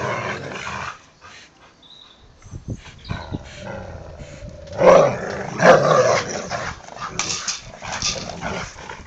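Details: Labrador and boxerdor dogs playing tug of war; quiet start with scuffles, then louder growling snarls and a couple of sharp bark-like yelps in the second half.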